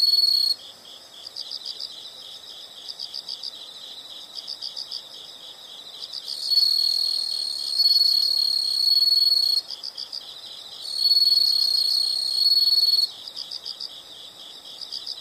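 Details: Insect sounds from nature: rapid high-pitched pulsed chirping in short groups, then long loud buzzing trills of about two to three seconds that start and stop abruptly, with light background hiss.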